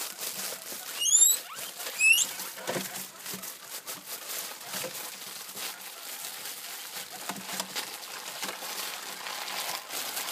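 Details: Hungry guinea pigs squeal at hearing plastic bags that signal food: two sharp, high whistled squeals about a second apart near the start, then steady crinkling and rustling of plastic with light pattering.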